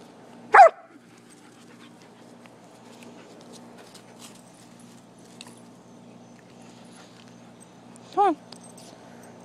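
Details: Two dogs, a poodle and a shepherd, playing outdoors in a back yard: one sharp bark near the start and a second shorter, tonal yelp near the end, with a steady low background hum between.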